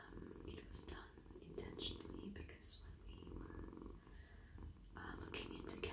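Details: Domestic cat, male, purring while stroked on head, neck and body as it melts in a lap; a steady low rumbling purr runs throughout, overlaid by soft whispering and brushing, rustling sounds of petting.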